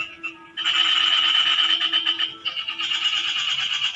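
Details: A frog produces a sustained, dense rattling trill of rapid croaks that continues almost unbroken for over three seconds, loud and steady, with a brief pause midway.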